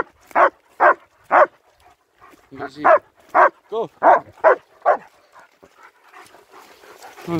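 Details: Winter walk in Hawick, Scotland with two German Shepherds, Nico and Zeeva, filmed on an S23 Ultra: a run of punchy barks, one higher whining yelp among them, with a person's voice and faint rustling toward the end.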